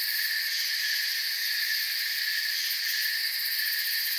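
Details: A short stretch of a cricket chorus in a calm forest after dark: shrill, steady insect trilling at constant volume, densely overlapping callers, no other sounds.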